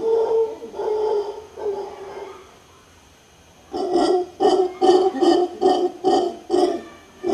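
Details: Howler monkey, Guanacaste, Costa Rica, producing a sustained moaning roar in three swells, a brief quiet gap, then a steady train of harsh, throaty grunts about two per second.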